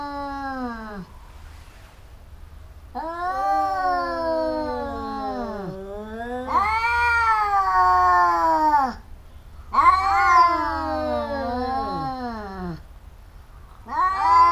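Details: Fighting house cats trading loud, drawn-out howls in four or five long bouts, each yowl bending up then sliding down in pitch, with brief quiet gaps between them.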